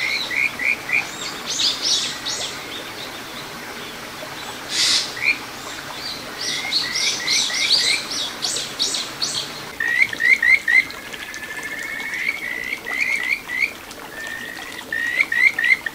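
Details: Kajika frog calling from a small stream in satoyama, Ichihara, Chiba, Japan, 9 June 2022: clusters of fast, high, rising chirps and a drawn-out trill, mixed with louder buzzy pulsed calls and a sharp knock.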